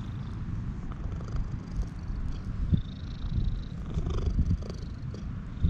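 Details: Purring from a stray cat as it is petted, a ginger tabby with a brown tabby cutting in, GoPro recording: continuous low rumble, loudening in places, with soft brushing and handling noises.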